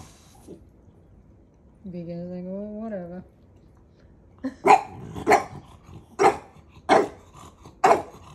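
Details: Maui the puppy teases his big brother; a drawn-out, slightly wavering whine lasting over a second, then a pause and five sharp barks at uneven intervals.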